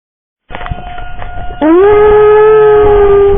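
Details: Molly, a pet dog upset by loud noises, howls while civil defense sirens are tested; a steady siren tone plays first, then a loud, long howl slides upward and holds a sustained, even pitch to the end.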